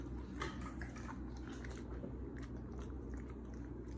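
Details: First taste of bee larvae for Pit Bulls: moist, squishy chewing with rapid small crunches, steady low hum underneath.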